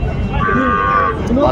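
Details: Sahiwal bull calves at a cattle market late on market day, 27 December 2024: a short, steady harmonic moo of about a second, mixed with nearby bargaining voices.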